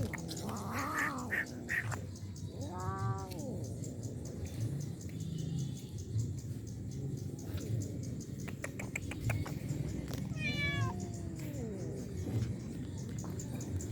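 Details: Stray cats being fed on the road, meowing: three drawn-out, wavering meows spaced several seconds apart, one short and high, over a steady low rumble with scattered clicks.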